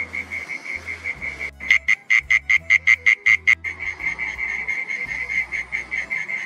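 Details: Mole cricket singing at twilight in a garden: a steady high, pulsed trill runs throughout, interrupted for about two seconds by a louder series of sharp rhythmic pulses, roughly six per second, before the trill continues alone.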